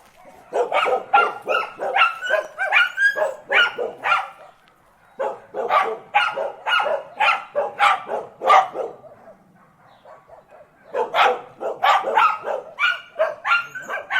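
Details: Dogs barking in three rapid volleys of sharp, harsh barks, each run lasting several seconds with brief quiet gaps between, some high tonal whine traces mixed in.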